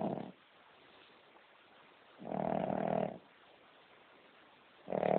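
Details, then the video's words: A sleeping female King Charles Spaniel snores loudly in a small room, each snore a long, rough, buzzy rasp of almost a second, recurring about every two and a half seconds with quiet breathing gaps. "Have you ever heard a dog snoring as LOUD as this one?"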